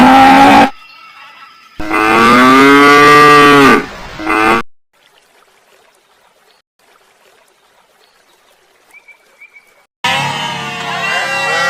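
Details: Cow mooing: one long, loud, nasal low moo lasting about three seconds, preceded by a short call and followed by near silence, then another animal's bleating call at the end.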